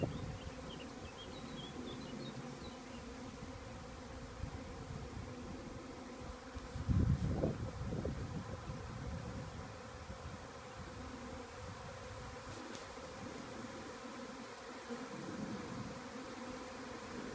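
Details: A honey bee swarm that has just left a beekeeper's hive flies to settle on a nearby small tree, making a thick, continuous low hum. Louder passes swell as bees fly close, with faint high chirps behind.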